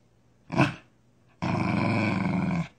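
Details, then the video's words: Corgi trying to speak with its owner: a short sharp noisy yelp, then after a pause a sustained rough, grumbling growl lasting just over a second. "When Corgi tries to speak..."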